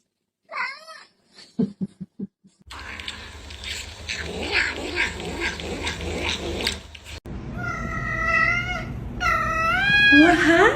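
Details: Pet cat giving drawn-out, wavering yowls with rich harmonics, rising and falling in bends, after brief choppy sounds at the start; a cut leads into noisy mid-section before the long yowls close the clip.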